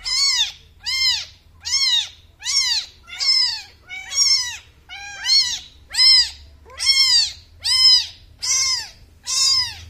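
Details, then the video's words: Repeated shrill mews from a newborn kitten, arched downward-curving cries at about one per second, loud and clear over near silence. "new born kitten 🐾 reaction"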